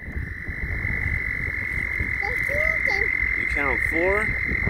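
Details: Frogs calling while mating: a steady high-pitched shrill drone runs unbroken, while nearer individual calls break in with short wavering notes, then a quick series of rising, rasping sweeps near the end.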